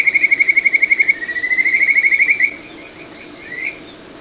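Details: Kajika frog in a small satoyama stream, Ichihara, Chiba, Japan, June 2022: a rapid run of clear, evenly pulsed whistles slides into a rising trill, then fades into soft stream murmur.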